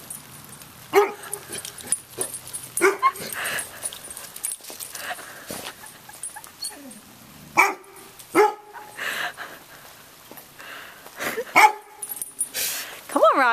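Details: Roxy the chocolate Lab, a female dog scared of roofing materials piled in a driveway; scattered sharp yelping whines recur every few seconds, some rising steeply at the end, amid rustling and handling noise.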